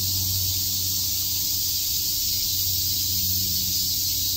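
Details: Summer cicada chorus at Shakujii Park in Tokyo, heard as an unbroken high sizzling drone that stays even throughout, over a soft low background hum.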